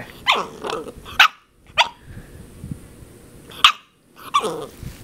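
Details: Princess Zelda, a 10-week-old puppy, barking indoors at a water bottle: short, sharp, high-pitched yaps in uneven bursts with brief whiny, growly notes between them in a small quiet room.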